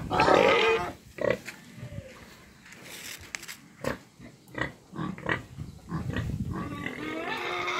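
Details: Eight-month-old pigs of a Romanian breed; a sharp squeal opens, then short grunts spaced about half a second apart, with more squealing near the close.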